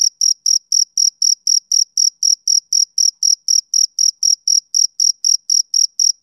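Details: A male cricket on a summer evening gives crisp, high chirps at a steady pace of about four per second, each short pulse sharply separated by brief silence, no other animals or noise present.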